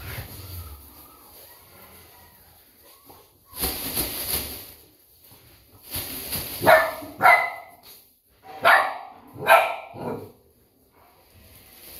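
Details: Golden Retriever, described as two months old: a handful of sharp, short barks and yips in the latter half, roughly four bursts close together, preceded by a broad rustling or scraping noise and quieter background.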